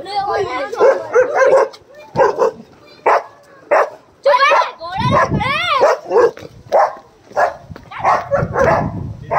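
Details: Dogs fighting angrily, a fast, chaotic stream of snarling barks and yelping cries, some rising and falling sharply, packed closely with short pauses between outbursts.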